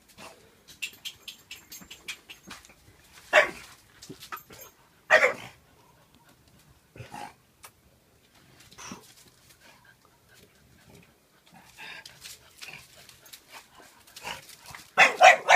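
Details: A Bullmastiff puppy, Thanos, nine weeks old, plays with Saka, a one-year-old French Bulldog. Several loud, harsh barks come at irregular intervals, with quieter grumbles and rustling in between, ending in a burst of rapid barking.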